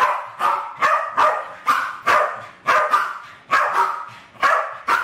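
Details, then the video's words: Two Westies, Alfie and Crystal, playing and trying to kill balloons in a kitchen in 2012; steady series of loud, sharp barks, roughly one every half second, about ten in five seconds. "My Westies playing with balloons!"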